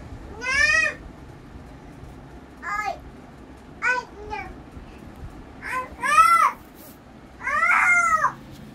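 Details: German Shepherd puppies giving five bursts of high, tonal whining cries, each arching up and down with rich overtones, spaced irregularly over about nine seconds against a quiet indoor background.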